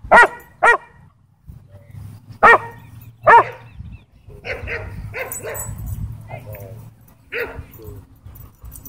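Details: Belgian Malinois, a sheriff's K-9 from a Texas county, attacking at a dog park: loud barks in irregular bursts, pairs and singles, then quieter barks with a low steady hum and outdoor noise.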